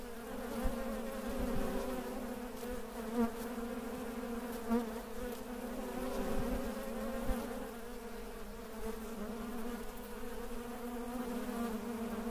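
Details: Honey bees (Apis) in Mandore Garden, Jodhpur, Rajasthan, on 12 February 2017, fill the air with a steady, low droning hum from many wings beating together.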